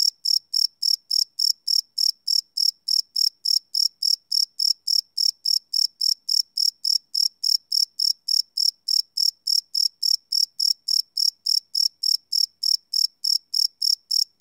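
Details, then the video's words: Crickets at night, recorded live and unlooped on a Sony PCM D100: a continuous rhythmic series of piercing high chirps, roughly three or four per second, steady in loudness, with no other sounds. "Cricket Chirp Sound - Cricket Sounds at Night"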